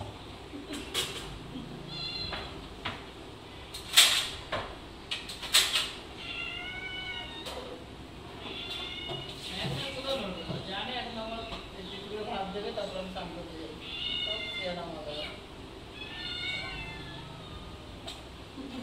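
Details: Many domestic cats crowding into a home kitchen after lunch whenever someone enters; repeated harmonic meows, rising then falling, overlapping from several cats, with door and cupboard knocks and a woman speaking Bengali.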